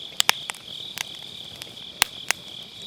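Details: Grass insects at a campfire on an autumn night, MKE600 microphone, low-cut applied: a thin, high continuous insect hum sits beneath loud, sharp pops and snaps of firewood, a few of them strong bursts.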